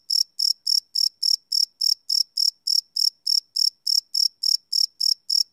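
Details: Live night recording of crickets, made with a Sony PCM D100 field recorder: sharp, high, ringing chirps at a regular pace of about three to four a second, with a clean quiet background.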